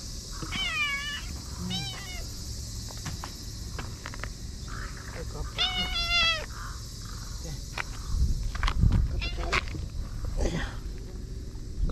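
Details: Stray cats at a Japanese fishing port in the evening, seeking affection and rubbing against a visitor: several short harmonic meows in the first seconds and another rising-falling meow near six seconds, with a person talking softly, clicks and steady background hum.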